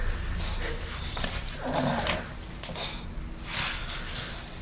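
An English Bulldog snores with low, rasping, snorting breaths that rise and fall.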